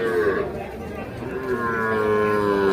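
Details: Young calves offered for sale at the Ambari cattle market, 28 March 2025; a short falling moo opens, then a longer, steady moo follows after a pause, with traders haggling over prices nearby.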